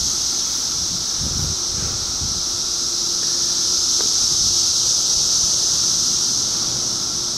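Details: Cicadas from 2013 produce a steady, piercing high-pitched hiss throughout, while soft low rustling and a brief knock sound near the start.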